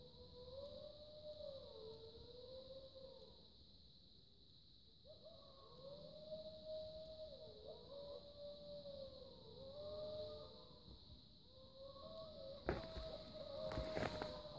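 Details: During a winter snowmobiling trip in Chequamegon-Nicolet National Forest, Wisconsin, several distant gray wolves howl at night, possibly under a full moon, in long, wavering, overlapping tones that rise and fall.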